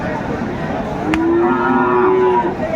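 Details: Friesian or crossbred bull calf at Aftabganj cattle market, Dinajpur, 10 September 2024, gives a single drawn-out, steady low moo of just over a second, slightly rising then falling. A brief sharp click comes just before it, over constant market background noise.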